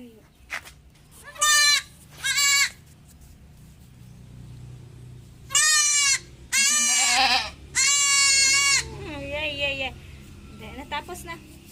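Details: Goat kid being injected with iron vitamins gives a series of loud, harsh, wavering bleats, about six bursts each a second or so long, then softer trailing cries; quiet voices in the background.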